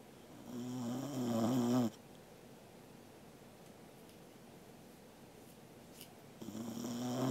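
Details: Sleeping Corgi named Angela, recorded indoors on 13 August 2021, gives a loud, rasping snore with a buzzy, wavering tone for nearly two seconds, then a long quiet pause before the next snore starts.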